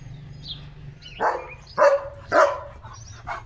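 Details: Leo the German Shepherd barking outdoors in the morning, three hoarse barks roughly every half second with a faint falling tail, small bird chirps faintly above them.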